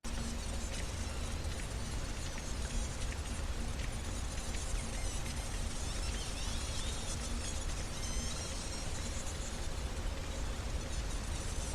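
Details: Pacific white-sided dolphins off coastal British Columbia, Canada, recorded by hydrophone, give thin, squeaky whistles that bend up and down over a heavy underwater rumble. A sperm whale clicks in the background.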